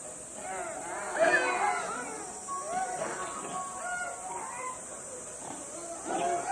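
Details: Zoo monkeys noisy at lunch time as the keeper approaches; a busy chorus of overlapping squealing, wavering calls, some sliding up and down, loudest near the start and end, with a constant high-pitched hiss behind.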